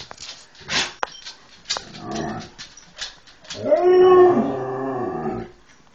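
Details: Huskies and Malamutes on a bed, talking to tell their owner to get up and feed them: scattered rustles and short yelps, then a drawn-out, wavering, moaning howl-like vocalization lasting about two seconds.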